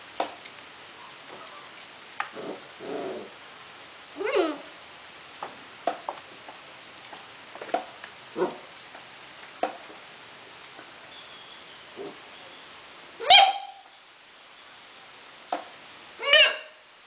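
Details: Four-month-old mixed-breed Akita Inu puppy at play indoors, giving short yips and barks scattered among clicks and taps, with two louder, higher-pitched barks near the end.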